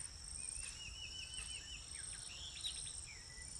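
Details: Insects ring in a steady, very high, unbroken drone while a bird, possibly an ibis perched on tree branches, adds wavering, whistled warbles and quick falling notes over a low outdoor rumble.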